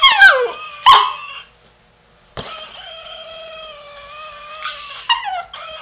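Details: Havanese dog vocalising in the dark while trying to imitate a chicken. It opens with two sharp, falling yips, goes quiet, then gives a long, sustained, even-pitched howl that ends in a couple of quick wavering yelps.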